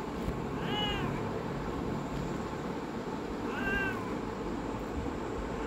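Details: Domestic cat meowing: two short, arched, mid-pitched meows about three seconds apart, the first slightly longer, over a steady low background hum and hiss.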